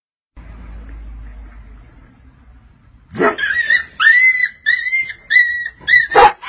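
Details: Golden Retriever mother scolding a Siberian Husky for playing with her puppies: after three seconds of quiet, a run of drawn-out, wavering whine-like cries, each about a second long, in a rapid back-and-forth series.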